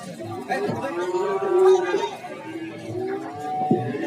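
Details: Lowing cattle at Warujayeng cattle market, Nganjuk, one drawn-out, moderately soft moo in the middle rising slightly then easing off, mixed with people talking and general market bustle.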